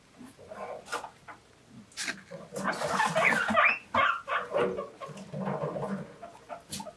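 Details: Several pet guinea pigs squeal for vegetables: high, rising wheeks in rapid, irregular bursts, loudest midway, over light background music and a human voice.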